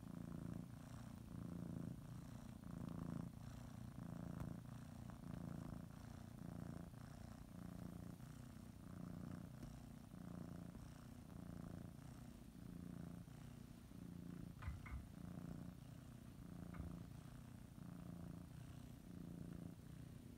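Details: A cat kneading and nibbling a blanket as she prepares for a morning nap; sustained low purring rumble with rhythmic rises and falls over twenty seconds, plus a couple of faint clicks near the end.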